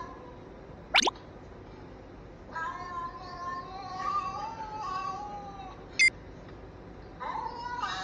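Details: A cat that had been angry suddenly starts talking, played back to a timid cat. Long, wavering, drawn-out meow rising and falling over about three seconds, a second shorter meow near the end, and a few sharp clicks.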